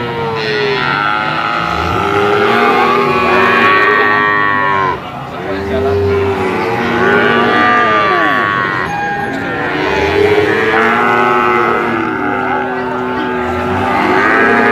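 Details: Brahman bulls in a herd giving repeated long, resonant moos, many voices overlapping; calls bend up and down in pitch, with a brief dip in loudness around the fifth second before the chorus swells again.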